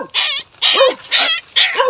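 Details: A stray puppy born in a forest, its head stuck in a tree fork that its mother could not free it from, gives four high, shrill, wavering, falling yelps; it had been heard crying for 2-3 days.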